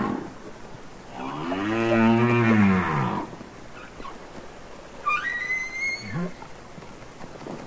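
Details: Wild humpback whales singing and communicating underwater on Capitol Records ST-620: one loud, arching harmonic moan, followed after a pause by a thin, high rising whistle and a brief, low upswept grunt.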